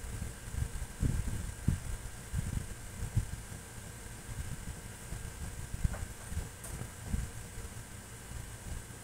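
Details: A sleeping brindle female French Bulldog, tongue hanging out, snores in low, rumbling bursts; she snores all night long.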